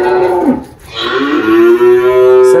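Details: On a farm in Anápolis, Goiás, Brazil, in March 2023, the 18-year-old spotted Girolando cow Malhada, mother of a newborn heifer, lets out a falling moo, then a long, steady bellow.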